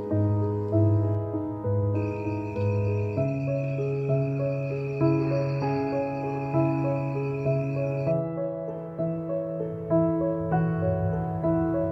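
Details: Gentle new-age piano music with sustained, evenly paced chords and a high held tone in the middle; no animal voice is heard.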